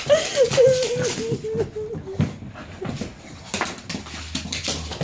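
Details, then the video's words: Staffordshire Bull Terrier named Dino, a pet indoors, having fun and playing in a freakout, gives a long wavering whine that slides downward over about two seconds, followed by people laughing and talking in a small room. "Staffie Freakout"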